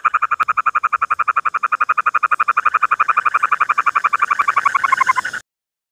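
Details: A frog gives a rapid train of clipped, mid-pitched croaks, nearly four each second, in a regular rhythm. The pulses blur into a hissier, brighter burst near the end before stopping abruptly.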